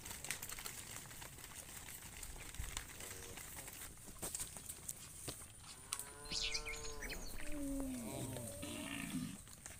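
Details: Cow calling its friend while cows roam in the fields: a low, faint outdoor background, then one drawn-out harmonic moo late in the recording, with a quieter sharper call answering right after.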